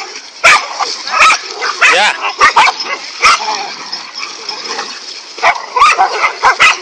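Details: Several dogs, five in all, barking angrily while attacking a king cobra; sharp, irregular barks and yelps overlap in quick bursts about once a second, with steady background hiss.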